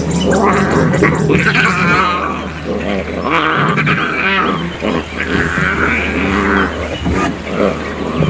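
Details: Young lion cubs of the Kambula lioness squabble while she nurses at Mala Mala Game Reserve, Africa. Loud, harsh, wavering squalls and growling cries overlap almost continuously over a steady low engine hum.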